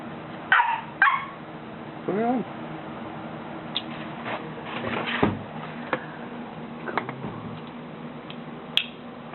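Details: Golden Retriever puppy Buddy, three months old and afraid to descend a stair, gives two quick yaps, then a brief rising whine, while people talk and coax him in the background.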